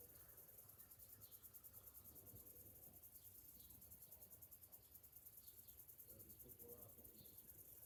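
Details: Summer-morning cicada chorus, a continuous shrill pulsing hiss held at an even level, with a few soft distant bird notes near the end and a low rumbling background.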